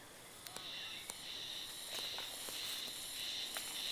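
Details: A cicada heard early, on 1 May, at the inner shrine (Oku-no-in) of Oyama Shrine while patrolling for wild boar. It makes a steady, shrill, high buzz with slight wavering and a few soft knocks and rustles.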